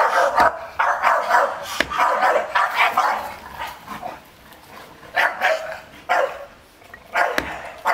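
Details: Staffordshire Bull Terrier defending its garden against an unmasked stranger, a breed said to bark little except at danger; rough barks come in clustered bursts, with short pauses and sharp knocks between.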